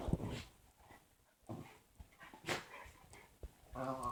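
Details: A pet dog indoors making weird vocal noises: short scattered huffs and whines, ending in a harmonic whining moan, with quiet gaps and faint human speech between.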